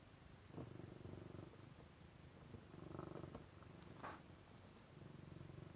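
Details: Domestic cat purring steadily in a small quiet room, a low rumbling pulsed drone in rapid regular throbs, with brief louder rustles near the middle and a short sharp noise toward the end.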